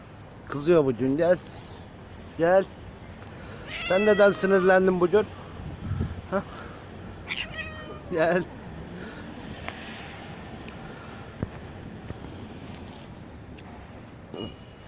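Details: Stray mother cat shortly after giving birth, followed outside while her kittens cannot be found; a quick series of sharp, bright meows in the first eight seconds, then quieter ambient noise with occasional voices.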